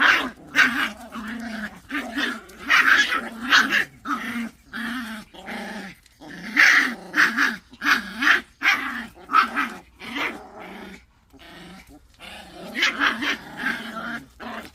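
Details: Pungsan dogs clash over rank with rhythmic, pulsing snarls, each growl rising into a harsh, yelping peak, repeated in rapid bouts with a short quiet spell midway.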